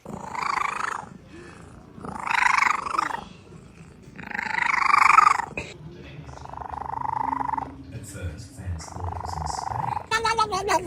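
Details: Domestic cat making strange sounds, three drawn-out wavering yowls rising and falling over about six seconds, followed by a softer low rumbling purr-like stretch and a brief sharp noise at the end; a person's voice speaks over it.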